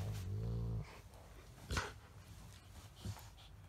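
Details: A female Golden Retriever plays and play-fights with a Chihuahua–Shih Tzu mix, speaking odd "dog talk": a low, droning grumble lasting under a second, then brief soft sounds.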